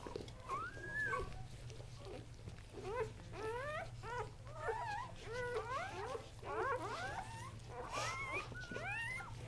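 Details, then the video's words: Newborn Kuvasz puppies, three males of the Casablanca line born October 30, 2008, keep up a rapid stream of sharply rising, overlapping whimpers and squeaks, several every second, over a low background hum. "Kuvasz Newborns"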